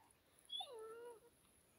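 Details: Whimpering German Shepherd FLY, out enjoying deep snow, lets out one thin, wavering whine that dips and levels off, held for about half a second, with quiet background between the owner's fetch commands.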